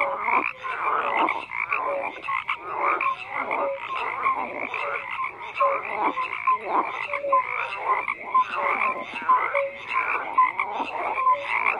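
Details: Frogs in a dense croaking chorus, many callers overlapping in a steady stream of short rasping croaks with brief tonal notes, the sound continuous without pause.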